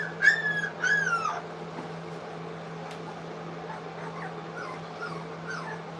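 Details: Three-week-old English Cocker Spaniel puppies eating food for the first time at a kennel. Two drawn-out, high whining whimpers open the recording, followed by faint distant squeaks over a steady low electrical hum.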